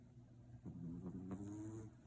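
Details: French Bulldog puppy named Cookie snoring in deep sleep, which it does only sometimes when tired; a low rumbling breath with harmonic bands near 100 to 300, rising and easing over about a second, in a quiet room.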